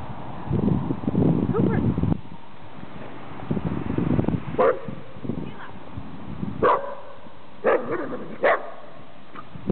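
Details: At Golden Gardens park in Seattle, Buddy the Dachshund greets Cooper, a Wheaten Terrier/Giant Schnauzer mix; people chatter at first, then four or five sharp, separate barks come about a second apart amid continued talk.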